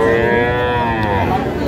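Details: Cattle lowing at the Ambari cattle market in Cumilla, Bangladesh, on Friday 14 February 2025, where small bull and heifer calves are sold. One sustained, steady moo rich in harmonics, easing slightly downward at the end, over faint market murmur.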